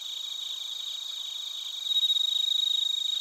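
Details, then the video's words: Narita, Chiba, Japan, with bell crickets and other crickets recorded on a TASCAM Portacapture X8: rapid, regular high-pitched pulses that grow suddenly louder and clearer halfway through, above a faint trilling background. "スズムシとコオロギの鳴き声 - Chirping of crickets"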